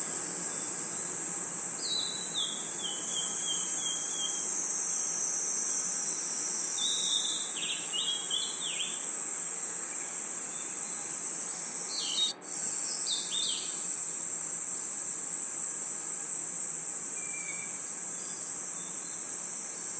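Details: Crickets chirping through a forest night create a constant shrill high-pitched buzz with a momentary break midway. Several bursts of quick, slurred whistled notes sound over it.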